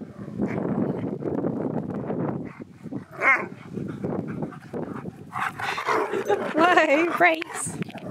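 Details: A husky, Keyush, inviting best friend Sherpa over for waffles; wavering, rising and falling howl-like yodels come in short bursts near the end, after a long stretch of people talking and laughing.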